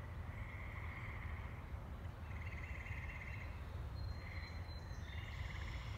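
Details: Tree frogs in woods at Saugatuck, Michigan, on May 14, 2018, giving the year's first song: several overlapping pulsed trills, each about a second long, rise from a constant low rumble of background noise.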